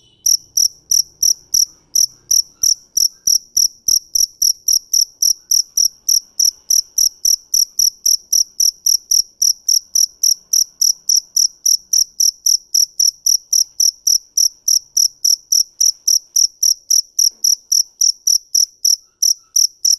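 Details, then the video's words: Cricket calling in a high, pure, shrill chirp repeated steadily about three to four times per second, with a fainter higher overtone, and nothing else audible. "Tiếng dế mèn hay nhất 2017"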